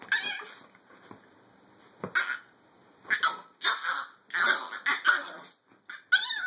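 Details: Chihuahua giving sharp, high-pitched yapping barks in short bursts, some doubled, with brief quiet gaps and a rougher snarling edge between volleys.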